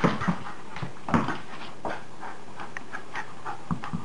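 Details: Maggie the dog panting indoors during a game played when the weather is bad, with rough, breathy bursts at an uneven pace and a few soft whimpery sounds in a small room.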